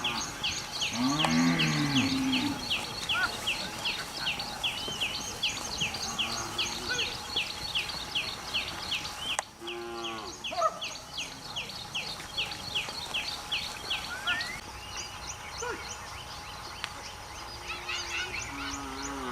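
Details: Cows heading into mountain forest to graze on green grass; a drawn-out low moo near the start and a second one midway, over a dense, steady chorus of high chirping birds and a constant faint hum.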